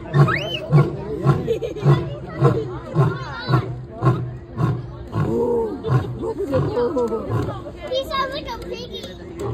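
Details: A lion at the Bronx Zoo gives a long series of deep, grunting roars while children and adults chatter nearby; a child says it sounds like a piggy.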